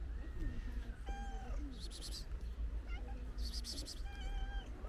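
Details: Several stray cats, a ginger one among them, eating pate food: brief meow-like tones that bend up and down, mixed with sharp smacking chewing bursts, over constant low-frequency hum.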